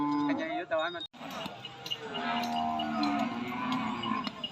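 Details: Cattle at the weekly cattle and buffalo market, Nong Na Hai, Phen district, Udon Thani, Thailand, January 2022: a wavering, quavering moo opens, then a lower, sustained lowing drone continues beneath clinking and crowd noise.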